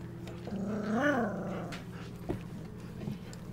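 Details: Golden Retriever puppies at twenty-five days, walking and interacting in their whelping box at evening; one puppy lets out a single rising-then-falling whine peaking midway, followed by faint rustling over a steady low hum.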